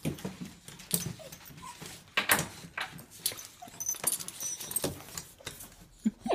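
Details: Basenji; whine; wanting to go for a walk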